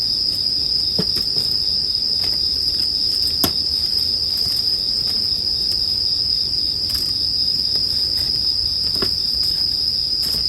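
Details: An even, piercing ring of bell crickets runs without a break, punctuated by scattered sharp pops and crackles from a bonfire every second or two, relaxing sleep ambience.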